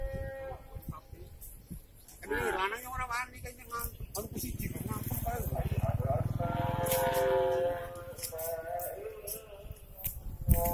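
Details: Beef cattle being moved from Lapas Kelas I Batu to the open prison Lapas Kelas IIB Terbuka Nusakambangan in Indonesia; wavering, drawn-out moos rise twice amid people talking, engine rumble and clatter.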